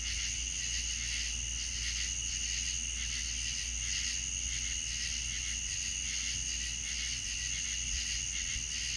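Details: A steady night chorus of crickets in the American South, high shimmering trills with a soft pulsing beat, over a low distant hum.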